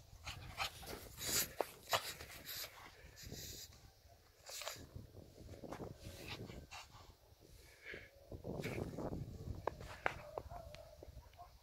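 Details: Fluffy puppy playing in snow: quick panting breaths and short soft whimpers, with crunching, rustling bursts of snow throughout.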